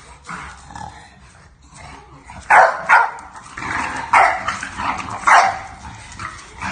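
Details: English Bulldog puppy setting boundaries with a new sister puppy, giving a string of high yapping barks spaced roughly every second, some with a whiny edge, after a quieter opening of soft yips and rustling.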